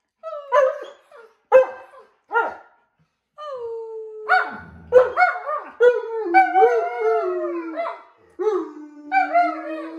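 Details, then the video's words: Several Alaskan Malamutes howl for no apparent reason, starting with short choppy yelps, then breaking into long overlapping wavering howls that rise and fall, one voice holding a low drawn-out note near the end. "Alaskan Malamutes are howling for no reason"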